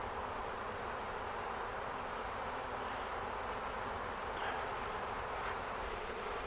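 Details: Honey bee swarm, the keepers' own bees, caught swarming on May 11, 2025 at a farm in Ontario, entering a box holding wax and used brood comb; a steady, dense droning hum fills the whole stretch without pause.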